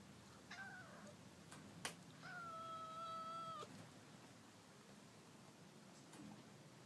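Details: Black-and-white cat used to outdoor life, heading out into an unusually strong windstorm. It gives a short meow, then a long, steady, drawn-out meow of about one and a half seconds, with a faint low rumble of wind behind.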